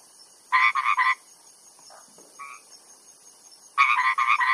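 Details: Frogs calling, Cambodia; bursts of three or four quick, rattling croaks at the start and end, with faint scattered calls between.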